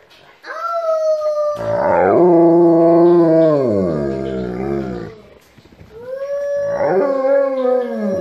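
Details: An Alaskan Malamute sings with its family in a choir, howling in long, wavering tones that slide downward while people's voices join in.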